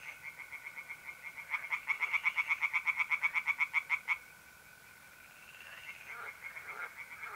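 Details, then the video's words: In north-east Italy on an April night, a tree frog at a pond gives a loud burst of quick rasping pulses lasting under three seconds, then stops; a mole cricket's even trill and fainter frogs continue. "relaxing singing tree frogs in pond and trilling mole crickets by night"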